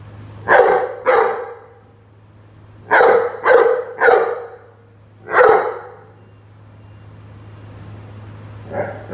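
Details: Rhodesian Ridgeback playing with a watering can, giving loud broad barks in pairs and a triple, irregularly spaced with pauses between bursts, over a steady low hum.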